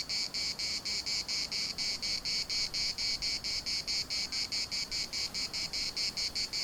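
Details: Cicadas singing in the municipal park of Larnaca: a loud, high, hissing buzz chopped into steady pulses about four times a second, the chorus continuing without pause and no other clear sounds.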